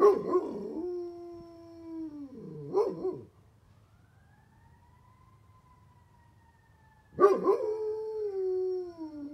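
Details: Great Pyrenees named Bear howling back at a passing fire truck siren. Loud wavering howls dip low and then trail off. In a quiet gap, the siren's faint rising-and-falling wail is heard before the dog starts again.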